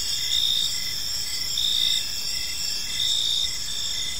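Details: Evening park crickets: continuous shrill trilling layered in several high bands, pulses rising and falling at a slow regular pace, soft background noise underneath.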